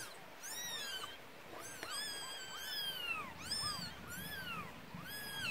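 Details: Newborn kittens, one day old, in the Korean countryside, huddled together after their mother left and nursing when she returns; a rapid series of high, thin mews, each sliding downward, from several kittens over a soft background hiss.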